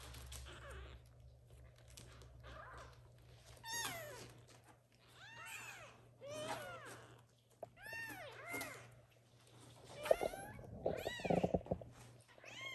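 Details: Young kittens waking and meowing loudly so the mother cat will return to feed them; many overlapping high arched meows from several kittens, growing busier in the second half with some rustling.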